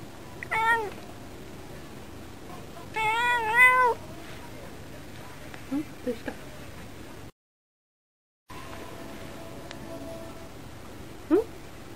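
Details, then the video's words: Female house cat chattering by the window while her owner talks to cheer her up; two clear meows early, the second longer and wavering, then faint short chirps and a brief squeak near the end in a quiet room. "猫との会話 - Conversation with the cat."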